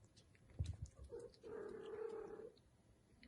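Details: Bengal kitten, one of seven registered 31-day-old kittens in a breeder's litter, gives a single drawn-out, steady mew lasting about a second, preceded by soft knocks and handling noises in a quiet indoor room.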